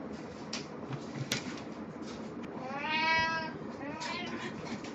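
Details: Cat Puran wearing a Snow White costume indoors, April 2017; one clear rising-falling meow at mid-clip followed by a fainter, shorter meow, over a steady noisy household background.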